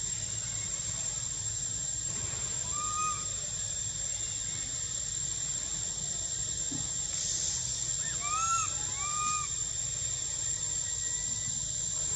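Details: Young monkey in spring at Angkor Wat and Bayon temple, Cambodia, whistling to ask for milk. Soft arched whistles, one early, then a quick cluster of several rising-falling notes, under a constant high insect drone.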